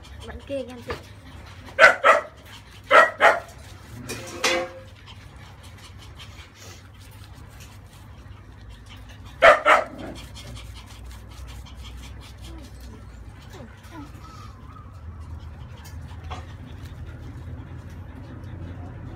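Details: Thirty-day-old female French Bulldog puppy during a bath to wash off its newborn crust: several short, sharp harmonic yelps in quick pairs near the start, another pair about halfway, with people talking and splashing in the background.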